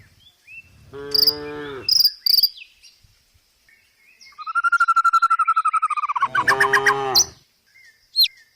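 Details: Tame village cows being herded down a country hill toward a forest to graze; two drawn-out, low harmonic moos about five seconds apart, with sharp bird chirps and a rapid trilling call between them.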